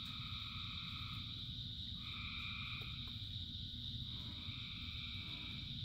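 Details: Thousands of frogs calling in the rain: an unbroken high-pitched chorus over heavy low rain noise, with a lower droning croak that starts, stops and restarts several times.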